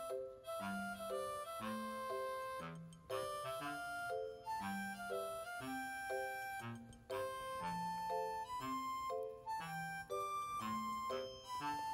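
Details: Keyboard or accordion-like melody plays steadily throughout, repeating short phrases, with no animal sound present.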